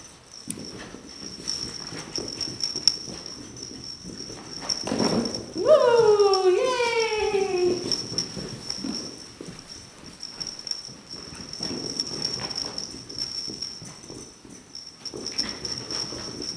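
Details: Playful poodle puppy Chase, running after miniature poodle Remy, lets out a drawn-out tonal whine that dips and steps lower for about two seconds, amid scrabbling movement and a person's voice, with a constant high hum throughout.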